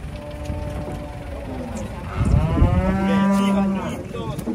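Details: Large cattle being unloaded from a truck at Jelok market, Indonesia: a long, steady low moo from about two to four seconds, harmonics stacked above, with crowd noise, clatter and background music around it.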